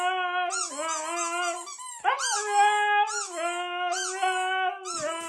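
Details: Siberian Huskies screaming loudly: drawn-out wavering howls and yowls from several dogs, rising and falling in pitch with sudden swoops, overlapping voices and short breaks between bursts.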